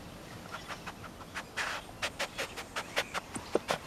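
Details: A rescued tayra gives short, breathy huffing bursts that quicken into a rapid, uneven series.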